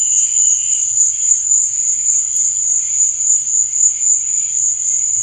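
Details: Night cricket song, an unbroken piercing high trill with a slightly throbbing texture and fainter overtones shifting underneath. One brief faint click breaks in midway.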